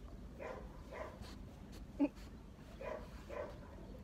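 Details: Dog giving spaced, moderately faint barks, some in pairs, with one sharp click-like knock midway and low background hum throughout.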